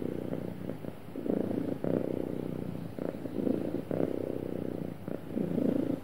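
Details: Contented house cat purring smoothly, a continuous low vibrating drone that rises and falls in rhythmic inhale and exhale cycles about once a second, quiet background otherwise.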